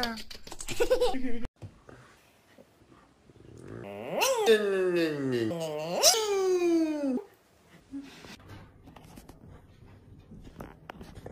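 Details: Siberian husky indoors giving a wavering, yodel-like howl lasting about three seconds, its pitch sweeping up and down in loops; a short burst of voices comes first, then quiet room sound.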